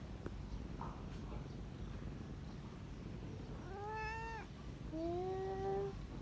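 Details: Kitten, said to be sleeping and relaxing, gives two drawn-out harmonic meows, the first rising then falling, the second a long level wail, over a steady low rumble in a quiet room.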